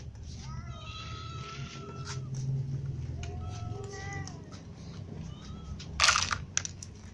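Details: Ginger cats and other cats at their morning feed, livestreamed, giving several drawn-out, wavering meows in the first half, with a low rumbling background and a sharp clatter near the end.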